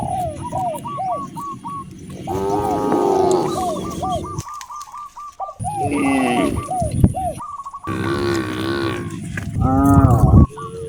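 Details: Cows roaming natural roads in search of fresh grass give several deep, drawn-out harmonic moos, while bird calls repeat steadily in the background: short hooked whistles in quick rows.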